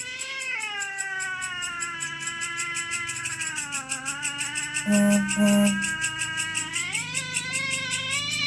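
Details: Cats fighting over territory at night: a long, drawn-out wailing howl that wavers and dips in pitch, with two short louder bursts midway and steady high rhythmic chirping in the background.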